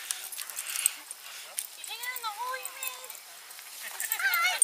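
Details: St. Bernard puppies, brothers, with a very large dog at a dog run, negotiating over a hole: high, sweeping whines that rise and fall in pitch at mid-clip, with a squeaky cry near the end and outdoor background noise.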